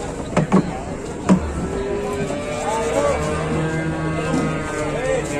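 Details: Raging cattle at an Indonesian livestock gathering give a long, drawn-out low moo with a steady, slightly wavering tone lasting about three seconds. A few sharp knocks come first, and men talk and shout throughout.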